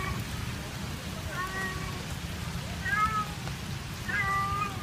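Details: At an ice cream stall in Kebun Raya Bogor, a cat left behind by its owner calls sadly. Three plaintive meows, each slightly falling, are spaced roughly a second and a half apart against constant low-pitched background noise.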